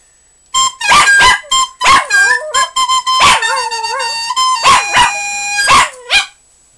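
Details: Scotty, a Scottish terrier, reacts to live flute playing with rapid loud barks and wobbling, falling howls that weave around sustained flute tones, the barks clustered in quick bursts over several seconds.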